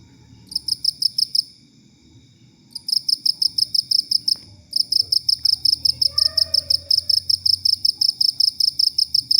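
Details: Cricket chirping, used as a tutor sound for training songbirds such as white-rumped shama and leafbirds; bursts of rapid, regular high chirps with pauses between, a brief faint tonal bird-like sound in the middle, low background hum.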